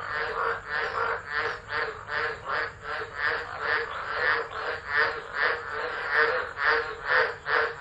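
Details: Tropical frog chorus in stormy tropical low weather at Driver, Northern Territory, Australia, 13 December 2013, from an unattended phone: loud pulsing croaks repeating rapidly, over two per second, in a throbbing wall of sound.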